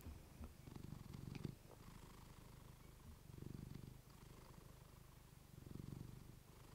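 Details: Female pet cat purring close to a fluffy microphone, a deep rumbling purr swelling and fading with each breath in three slow waves about two seconds apart, steady low throb throughout.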